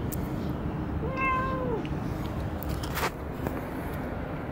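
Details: Single cat meow at Dockyard Garden on 17 June 2017, a rising then falling tone lasting under a second, set against constant low traffic-like hum with a few sharp clicks afterward.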